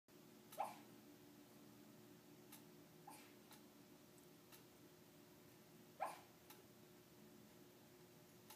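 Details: A sleeping dog named Peanut, a female, makes soft muffled yips while dreaming. Two short high yelps sound about five seconds apart in a quiet indoor room with a steady low hum.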